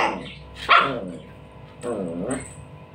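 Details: Dog playing with a ball gives two barks about a second apart, the first loud and abrupt, the second longer and softer, over a faint background murmur and a thin high hiss.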